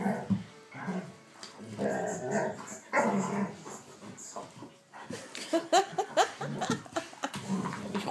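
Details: Indoor play-fight between two Vizslas, Wanda, three, and Schröder, eight, in Leipzig, biting and tussling; repeated rough growls and snarly yelps through the clip, with human speech and rustling alongside.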